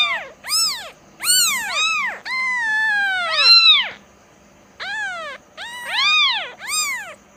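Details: Kitten crying with a cluster of short high meows around one long, drawn-out wavering meow, then a pause before a few more sharp arched calls.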